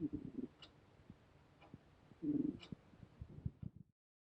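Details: Hotaru, a seventeen-year-old female cat, snores while asleep, perhaps from old age; soft low rumbling breaths come in short bursts roughly every one to two seconds in a quiet room, with faint ticking between them.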